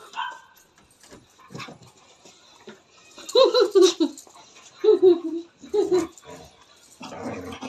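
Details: Jealous pet dog in Nepal, angry and complaining after catching the scent of street dogs its owner's mother touched, gives three loud drawn-out whining yowls about a second apart amid background speech.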